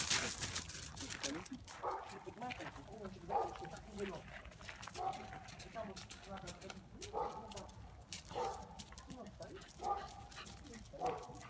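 An alpaca gives short, nasal, whinnying calls about every second and a half while guarding its territory.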